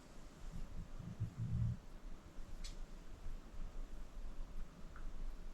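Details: Acorn, a 14-year-old senior pit bull rescued from the Cuyahoga County Animal Shelter, snoring in deep sleep at home; a short burst of low rumbling snore near the start, then quiet steady breathing in a still room.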